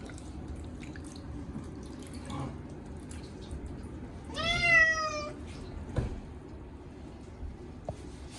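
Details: During a yearly bath with catnip shampoo, Chacha the short-legged Munchkin cat gives one long, slightly falling meow amid quiet dripping and the hollow ambience of a small bathroom, with a sharp knock afterward.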